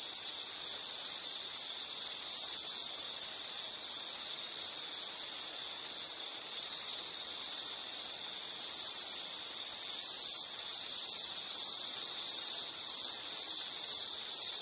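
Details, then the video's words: A high, steady insect trill runs without pause, its tone wavering slightly in the second half, against a quiet background with nothing else standing out. "Sound · Nature Sound of nature sounds scenery L · insect"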